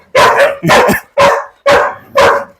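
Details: German Shepherd squaring off against a native dog near forest in Wayanad during rainy season; five loud, harsh barks roughly every half second, each a broad burst with a strong low-mid core, clean gaps between.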